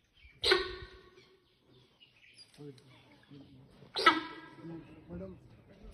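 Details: In Ranthambhore National Park, with a tiger present, a sambar deer gives two sharp, honking alarm calls a few seconds apart, with low voices between.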